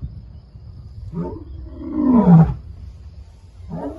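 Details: A male lion in Kruger, next to a vehicle, gives a deep, rumbling roar that swells and falls, framed by shorter grunting calls, marking his territory and warning other males he is back.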